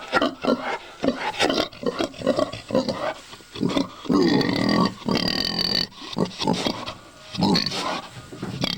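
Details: Pregnant pig on a hill farm near Collinsville, ready to give birth, after eating banana leaves; uneven bursts of low grunts and squeals, with a woman talking in between.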